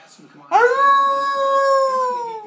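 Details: Newly adopted pet dog howling indoors, prompted by its owner howling nearby; a sudden loud onset into one long, steady, pure-toned howl that sags slightly in pitch toward the end, after a brief faint lead-in.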